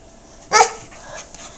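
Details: Yogi, a pet dog, barking while biting pink shoes: one sharp, loud bark bursting out midway, then quiet room noise.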